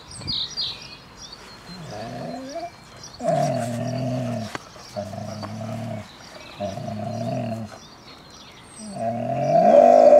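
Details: Father and son Airedale Terriers Nelson and Toby from Insel Rott let out long, tonal, groaning growls in four or five sustained stretches, some rising in pitch, with a brief bird chirp at the start.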